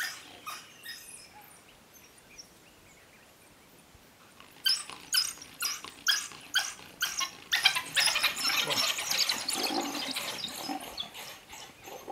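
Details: Eight wild African wild dogs hold a leopard up a tree one morning in Zambia's South Luangwa National Park; after a quiet start, bursts of shrill chirping yelps repeat roughly twice a second and build into a busy chorus.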